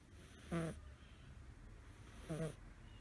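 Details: Male American Shorthair kitten, five months old and blue tabby, snores as loudly as a person while sleeping curled up; two brief buzzy snorts with airy breath, about 1.8 seconds apart, over a quiet room.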